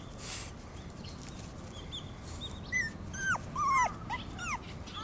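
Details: Shiba Inu puppy born 25 December 2017, an only pup, on its second day playing outside and not yet used to the outdoors, filmed 19 January 2018: high, thin, downward-sliding whimpers in a short burst over steady outdoor background hiss.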